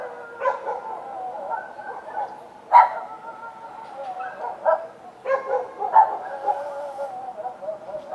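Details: Street dogs barking at night, short hoarse barks about every two seconds mixed with drawn-out whining howls that hold a steady tone and sag downward, several dogs overlapping.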